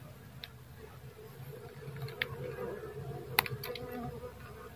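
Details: Dwarf honey bee hum, a continuous low drone with a faint higher tone above it, broken by a few sharp clicks and taps.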